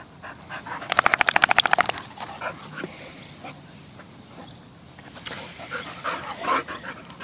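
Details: Rescue Bull Terriers Peyton, a 9-month-old puppy, and Quigley, roughly 11, at play and rolling around. A fast, regular burst of harsh panting or snorting pulses lasts about a second, followed by quieter scattered breaths and scuffles.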